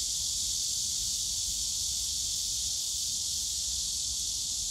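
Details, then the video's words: Continuous shrill cicada drone from the bamboo forest at Yongsan Family Park on a summer day, even and unvarying, over a faint low hum of the surrounding park. "용산가족공원 대나무숲 매미소리"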